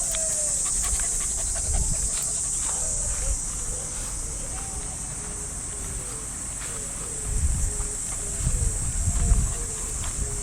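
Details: Cicadas drone steadily in the treetops of a Japanese park during an early summer morning walk with a Shiba Inu, with footsteps, rustling and distant radio calisthenics sounds below.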